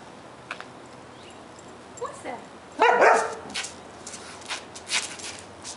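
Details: Kira, a Siberian Husky, going after a bee: a couple of short rising whines, then one loud, harsh bark, followed by softer yips, with a person's voice and scattered clicking sounds around it.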